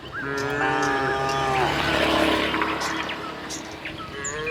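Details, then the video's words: Tame cattle herd heading from the neighbouring village to the pen; overlapping drawn-out lowing moos under a constant wash of broadband noise. "kerumunan sapi lembu jinak berjalan dari kampung sebelah menuju kandang, suara sapi moo"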